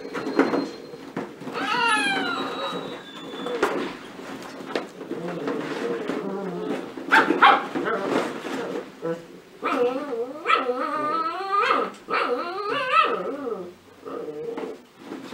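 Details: Young cocker spaniel puppies romping in a ball pit, giving several high, quavering whines and squeaky yelps, with a person talking and balls rattling in between.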